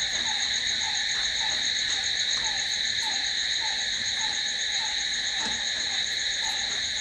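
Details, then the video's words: Crickets at night: an unbroken, high ringing trill fills the air, with a soft lower downward chirp repeating roughly twice a second underneath. "Cricket sound🦗🦗🦗to sleep... Try it.... Night's in hands of cricket"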